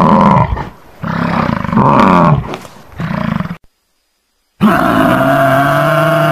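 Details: Water buffalo. A water buffalo bellows in loud, low, rough-edged calls that swell and fade over a second or two. After a brief silence a second, steadier moaning call follows.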